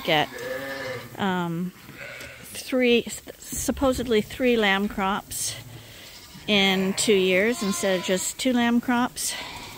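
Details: Lambs receiving supplemental bottle feeding at Ewetopia Farms give shaky, vibrato bleats in clusters, separated by a quieter stretch of low rustling around the middle.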